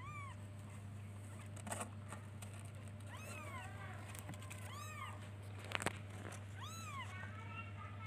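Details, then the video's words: Baby kittens calling for their mother with repeated bright arched meows, several close together, plus a couple of sharp knocks and a continuous low electrical hum. "Cute baby kittens looks for and calls its mother by meowing"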